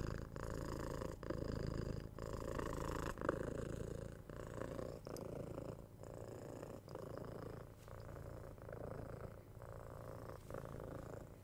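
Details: Purring of a six-month-old pet kitten being cuddled and given head scratches, binaural ASMR recording: continuous low rumble in rhythmic pulses roughly three per second, with brief gaps near every second and faint scratching.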